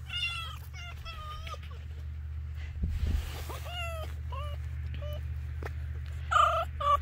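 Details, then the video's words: Pet fox chatters while being scratched: a run of short, clear, tonal calls with stacked harmonics, some rising and some falling, repeated irregularly about twice per second, over a steady low hum. "Finnegan Fox chats while being scratched"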